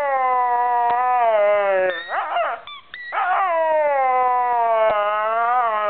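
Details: A pet dog vocalising loudly at her squeaky ball, a long sustained howl-like tone rich in harmonics, wavering slightly, broken near the middle by a brief squeaky, yelping burst before the drawn-out howl resumes.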